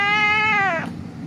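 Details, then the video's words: Injured cat lying on a street, crying during a rescue before treatment: one long, strained, harmonic-rich meow held steady then sliding downward and fading, with faint background noise. "The cat was lying on the street crying"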